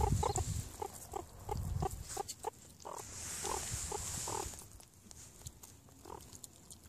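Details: Meerkats eating give quick, repeated chirping grunts, several each second, over a low rumbling background.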